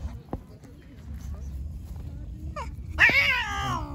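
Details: An angry white cat, described as attacking everyone, lets out a sudden harsh, loud yowl with a falling, strained tone after a stretch of quiet speech and small noises.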